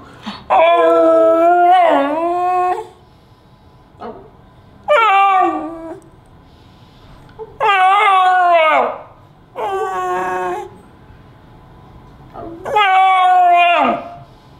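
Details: Pet beagle vocalizing expressively, as if talking: five separate bursts of howling and yowling across about fifteen seconds, each one to two seconds long, with wavering pitch and falling tails, quiet room between bursts.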